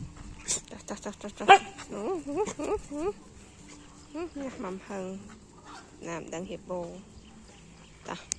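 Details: Evening with dogs, whimpering in short bursts of wavering, pitch-bending yelps that come in clusters of three to five, with clicks and knocks between them.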